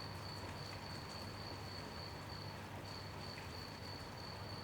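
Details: Cricket chirping at night during gentle rain: a steady, high, unbroken trill that drops out briefly near the middle before resuming at the same pitch, over constant rain hiss and a low background rumble.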